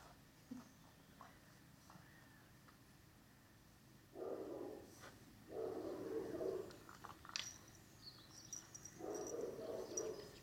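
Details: Cane Corso puppies from a Dana and Paolo litter at seven weeks old; scattered short whines and yips, then two longer whimpering bouts in the second half, with faint clicks and small handling noises around them.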